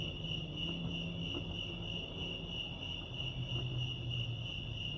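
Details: At Lake Arrowhead, California, crickets sound a constant high beating chirp, even and unbroken across the few seconds, above a low droning hum.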